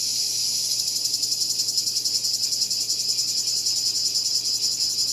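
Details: High-pitched cicada buzz with a pronounced throbbing rhythm, several swells per second, sustained without pause across the whole stretch.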